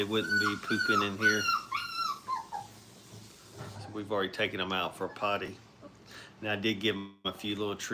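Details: Brittany puppies, five weeks old, at play in a training kennel: a run of high, falling whines opens, then people talk over scattered short puppy whimpers and yips.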